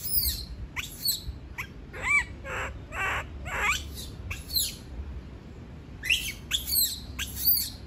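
A monkey screams in high, piercing bursts that rise and fall, repeated several times with short gaps. The cries signal distress at being left alone, over a faint background hiss.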